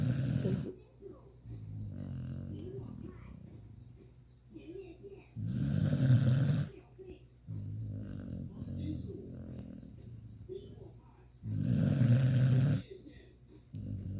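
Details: Sleeping puppy snoring deeply indoors: loud, low, rumbling snores about a second long come every five to six seconds, with quieter raspy breathing between them.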